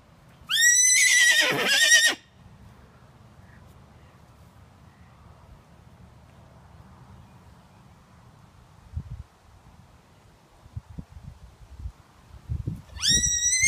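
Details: A 15-year-old Miniature Horse stallion with a toy gives a loud neigh that rises sharply, then shakes and falls for about a second and a half. Quiet follows, with some soft thuds, and a second neigh begins right at the end.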